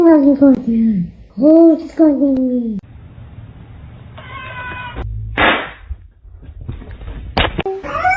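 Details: Domestic cat meowing in a short clip from a compilation of funny pets: three drawn-out, falling meows in the first three seconds, then quieter rustling and a few sharp knocks.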